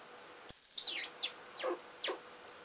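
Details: A Richardson's ground squirrel squabbles while digging, giving one piercing high whistle that slides slightly downward and lasts under half a second, followed by rough scratching bursts of earth being dug.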